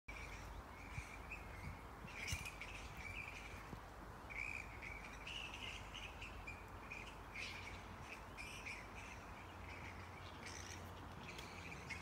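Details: Flying fox colony at Yarra Bend Park on 4 December 2022: constant squabbling chatter of high, rasping notes, with harsh broadband screeches bursting out every second or so over a low rumble of background noise.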